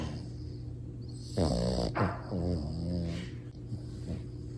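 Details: French Bulldog puppy snoring loudly while asleep; several short, rattling, wavering snorts close together, rising and falling in pitch, over a low constant background hum.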